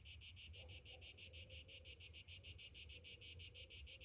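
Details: On a summer morning, cicadas drone in a loud, sharp buzz, pulsing regularly about three times a second, with a faint low background hum.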